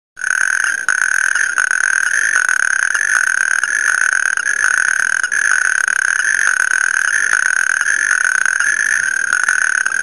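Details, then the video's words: A displaying natterjack toad (Bufo calamita) in a roadside ditch in Germany's upper Rhine valley gives a loud, continuous rattling churr that carries without pause. "Natterjack toad (Bufo calamita)"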